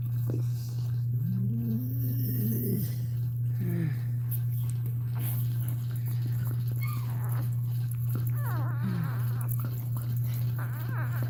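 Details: A Cane Corso dog cries while another dog, Cashmere, is in labour indoors: a wavering, rising-and-falling whine lasting about two seconds, then a few short whimpers, over a steady low electrical hum.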